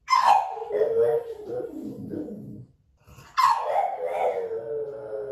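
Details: French Bulldog Moto-Moto, left alone at home and filmed on a hidden camera, gives two long howls. Each starts high and slides down into a steady wavering tone. A brief silence separates them.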